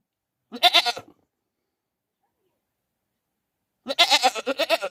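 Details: Goat screaming like a human: two loud, quavering, harsh bleats, one short near the start and a longer, pulsing one near the end, with silence in between.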